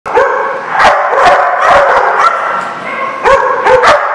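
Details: Several dogs barking together in Rhode Island on March 3, 2014: loud, overlapping, rough barks and yips in quick succession, with sharp bursts near the start and end over a continuous din of barking.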